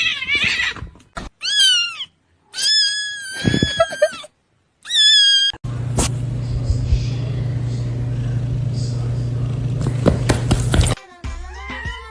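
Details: Domestic cat in a compilation of funny pet moments, giving several short rising-then-falling meows in quick succession, followed by a steady low hum, clattering and people laughing and shouting.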